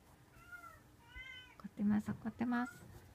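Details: Munchkin cat meeting a Shiba Inu dog indoors; two thin, high meows in quick succession, followed by loud human speech.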